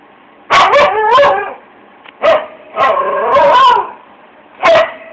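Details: Pet Siberian husky singing with its owner: a series of modulated, yodelling howls and woo-woo calls in three main bursts, each bending up and down in pitch, separated by short pauses, with a final brief yelp.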